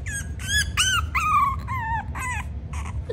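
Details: Little Willow, a female French Bulldog puppy in Miami Beach waiting for her new family, gives a run of about eight high, tonal whines and yelps that bend and fall in pitch over three seconds. Quiet indoor room hum underneath.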